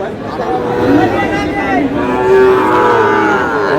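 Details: Sahiwal bull calves being bought and sold at Aftabganj cattle market, Dinajpur, at the opening of the market on 13 June; a wavering, tonal moo swells and bends in pitch over chattering people and crowd noise.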